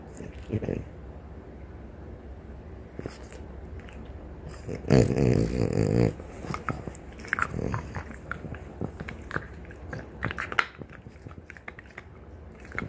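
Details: Two female French Bulldogs, mother Ume and daughter Roku, chewing deer antler in a small room; scattered gritty crunches and gnawing clicks, a loud grinding burst near the middle, then sporadic scraping.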